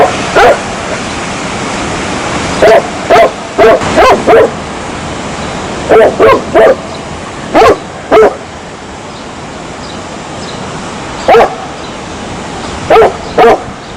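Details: Repeated dog barks over about fourteen seconds, coming singly, in pairs and in triplets at irregular intervals, against a continuous surf-like hiss.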